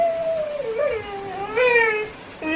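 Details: Labrador Retriever kept as a pet in Arakkonam, scolded for opening a tap and wasting water, howls in protest; a sustained wavering howl dipping and rising twice, rich in overtones, then a fresh short howl begins.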